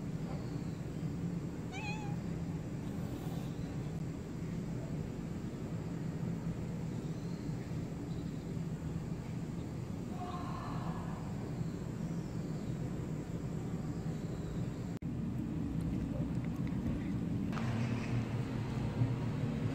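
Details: Street cat returned from trap-neuter-return lets out a brief meow midway, preceded by a fainter squeak, against a constant low rumble of vehicles and background hum.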